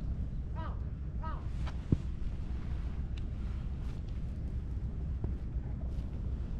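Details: Friendly orange tabby cat popping out from behind shrubbery outdoors, giving two short, tonal meows close together near the start, set against heavy low wind rumble with a single sharp knock and scattered faint clicks.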